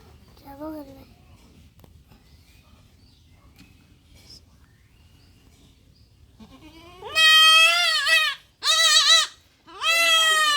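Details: Young goat kid undergoing castration, mostly quiet with faint murmurs before three loud, wavering, harsh bleats burst out near the end, each under a second or longer, separated by short silences.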